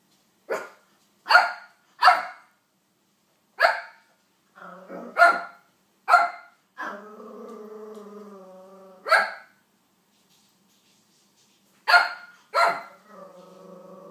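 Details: Barking from a King Charles Spaniel directed at Olly Murs: a rapid series of about ten loud, abrupt barks, some in quick pairs, broken by a long, steady droning voice in the middle and at the end.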